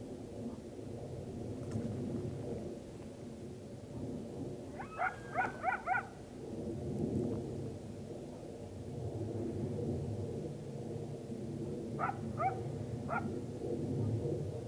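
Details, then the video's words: Coyotes calling on October 9, 2022 as the full moon rises: a quick burst of four sharp, harmonic yips, a pause of several seconds, then three more yips, all over a constant low rumble. "full moon rising coyote chorus"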